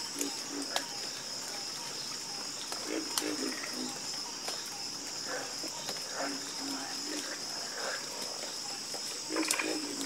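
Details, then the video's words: Frogs in a nighttime chorus give short throaty croaks, some in quick doubled runs, layered over a constant high insect whine with occasional sharp ticks. "Sleep Like A Baby With The Calming Sound Of Harmonious Frog Croaking"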